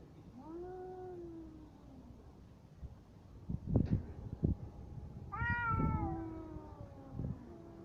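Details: Fighting cats trade drawn-out yowls: a falling wail in the first two seconds, sharp thumps and scuffles near four seconds, then a loud rising-and-falling caterwaul followed by shorter cries.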